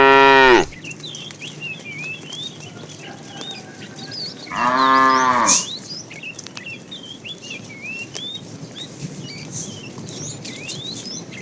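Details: A fat tame cow in a herd being driven in the afternoon, calling to the female: one loud, drawn-out, harmonic-rich moo of about a second, after the tail of an earlier call, with many small birds chirping throughout.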